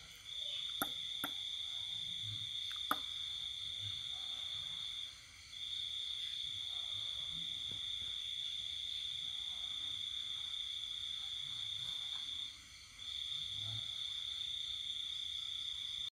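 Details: Countryside night during the pandemic, a cricket singing: drawn-out shrill trills lasting several seconds with two short pauses, a few faint clicks early on and a low steady hum underneath.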